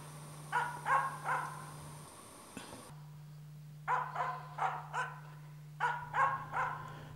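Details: Finnish Spitz hunting dog barking to mark a bird for the hunter: a quick trio of ringing barks, a pause, then two more runs of three or four barks, over a steady low electrical hum.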